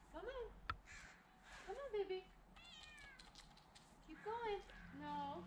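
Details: Olive the cat meows repeatedly while climbing down a tree branch during her rescue. There are four or five plaintive, bending meows spread over several seconds, mixed with people's encouraging voices.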